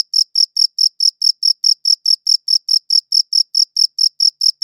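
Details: Close, clean cricket chirps from a good audio recorder: each chirp a short high buzzy pulse, repeating about four times per second in a steady rhythm. Nothing else is audible.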